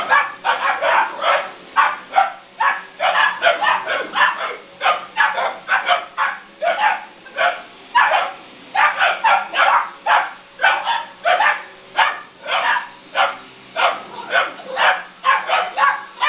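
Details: Boxer puppies aged 17 weeks barking at the hoover at home; a rapid, nearly continuous run of sharp yappy barks from two dogs, repeated many times with barely a pause.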